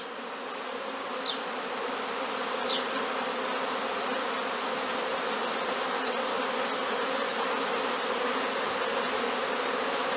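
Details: Several hundred young honey bees leaving the hive on their first orientation flight, on a warm clear day between noon and three in the afternoon; steady dense buzzing hum with a few brief louder fly-bys, continuous throughout.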